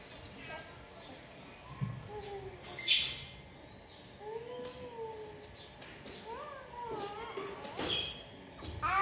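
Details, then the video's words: Jemmy, an orphaned infant monkey rescued by villagers from the jungle near their village, calls while very hungry for milk: several thin, tonal coos that rise and fall, spaced a few seconds apart, amid rustling handling noise and faint chirps. "Jemmy is very hungry for milk"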